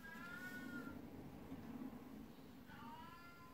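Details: Twelve-year-old black cat Beni-chan, jealous of a 19-year-old cat, rubs against someone's legs for attention indoors; two quiet drawn-out meows, the first falling, the second rising then falling, over a steady low hum.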